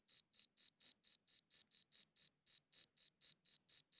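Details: Close, clear cricket chirps from a quality recording: a regular train of bright, buzzy high pulses at about four per second, with one short hesitation halfway through and an otherwise quiet background.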